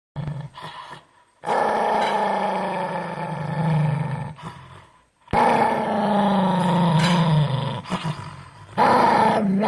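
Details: Dog growling in long, low rumbling bursts of several seconds each, separated by brief quiet gaps, with a steady rough tone throughout.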